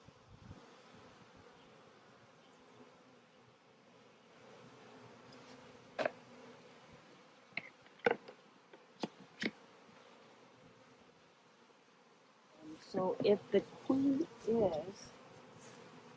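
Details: Colony hum from a honey bee hive given a new queen in a cage after a split. The even drone runs throughout with scattered sharp clicks and knocks, and a human voice joins near the end.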